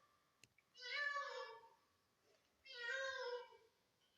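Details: Pet cat giving weird talking-style calls in a quiet room: two drawn-out, nasal meows, each about a second long, spaced roughly two seconds apart, with faint clicks before the first.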